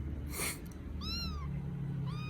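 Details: Rescued baby kittens in Vietnam, settling down to sleep, give two brief high meows that rise and then fall, the second one cut short, over a low background hum.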